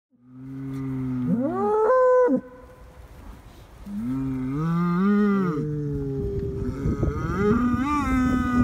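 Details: Galloway cattle from a herd of sixteen on moorland pasture near Barnstorf, mourning an eight-month-old herdmate killed by a wolf: long, loud moos that rise and then fall, with a deep start, in two drawn-out bouts.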